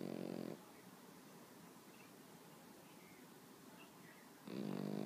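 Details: Pet Pekingese asleep on its owner in the morning, snoring peacefully: a short harmonic, wheezy snore at the start and another at the end, with quiet breathing in between.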